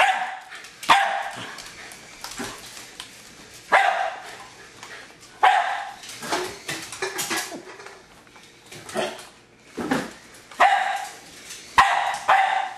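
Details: Pet Jack Russell Terrier named Hali going after a remote controlled toy car, giving a long run of loud, rough barks, singly and in quick pairs, spaced irregularly over roughly thirteen seconds, faint scuffling underneath.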